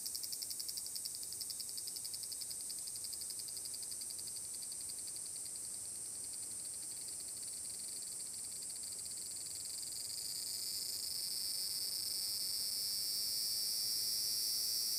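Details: Summer song of large brown cicadas, recorded 30 July 2022 at Furuta Magarigawa, Nishinoomote, Tanegashima, Japan: a continuous hissing drone that swells noticeably louder and shifts slightly lower in pitch partway through.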